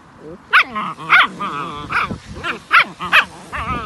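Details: German Shepherd puppies at a breeding farm, yapping: about eight sharp, high-pitched yelping barks with rising and falling pitch, packed into under four seconds, with softer whines between.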